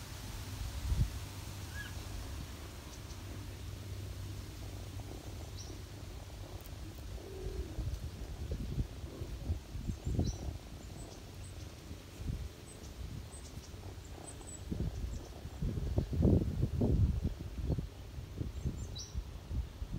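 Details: Ginger mother cat purring while feeding her kittens on a person's knees in autumn: a steady low rumbling drone throughout, with occasional louder bumps of movement and faint high chirps in the background.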